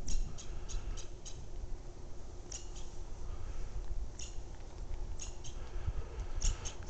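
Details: A squirrel at Lake McGregor, a resort west of Kalispell, Montana, USA, chatters in short bursts of sharp, high, clicking chips over a low steady rumble, sounding quite upset about something.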